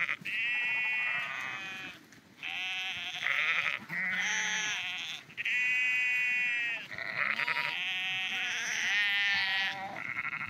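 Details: Sheep walking along the Porrenkoogdeich dike near Husum, Nordfriesland, bleating repeatedly; several overlapping wavering, nasal bleats of about a second each, some voices higher and some lower, with brief pauses between.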